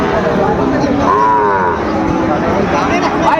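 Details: Sahiwal bull calf lowing at Raniganj cattle market in Ghoraghat, Dinajpur, on Thursday 27 June 2024: one drawn-out, harmonic moo in mid-clip, rising slightly then falling, over constant crowd chatter and traders talking.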